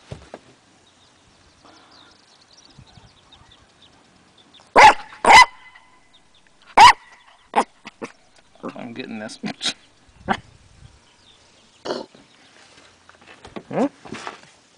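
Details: Dax, an 8-week-old Corgi puppy a few days into his new home, gets frisky on a porch and barks at the camera. A few sharp, high yaps come singly or in quick pairs. Soft human voices and rustling are heard between them.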